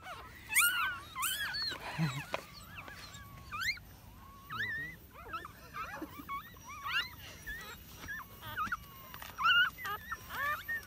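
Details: Nine newborn puppies found in a hole in the ground and rescued, crying in short high whines and yelps that come in quick overlapping bursts, loud at first, then steadier and softer.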